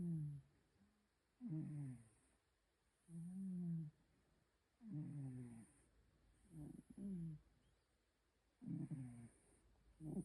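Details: Sleeping domestic cat snoring heavily: low, rough, harmonic breaths roughly every two seconds, each a short droning rasp, with some bursts splitting into two quick rattling pulses; quiet pauses between breaths and a faint high hiss throughout.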